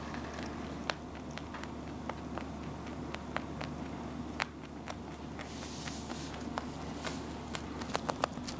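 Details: Pet rabbit eating steadily, its chewing heard as sparse, crisp clicks and crunches scattered over a low, steady background hum.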